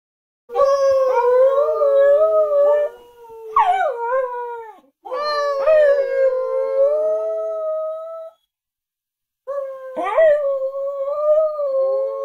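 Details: Lilli, a pet Australian Kelpie taught to howl, gives long tonal howls of about two to three seconds each, some opening with a sharp rising yelp before settling into a steady wavering tone, with short silent gaps between phrases.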